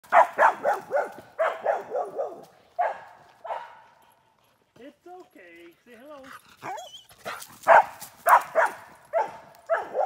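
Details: Australian Shepherd described as loud and hyper, barking in quick irregular bursts of sharp, harsh barks; a stretch of human speech interrupts the middle before the barking resumes at a rapid pace.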